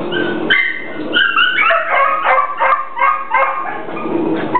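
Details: Hungry Pit Bull giving a run of high, yelping whines and short barks, several per second, each sliding up or down in pitch, continuous and insistent throughout.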